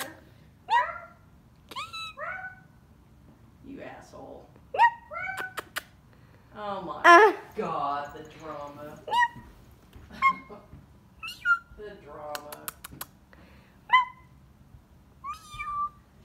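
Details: A female Siamese cat gives a string of short, nasal meows that bend up and then drop, between bits of human speech; she is reluctant, too lazy to meow on request.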